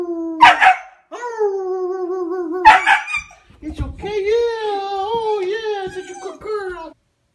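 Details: Young female Siberian Husky in her first year, vocal and playful at home: long wavering howl-like 'talking' calls, drawn-out tones sliding up and down, broken by short bark-like bursts, with a person speaking softly.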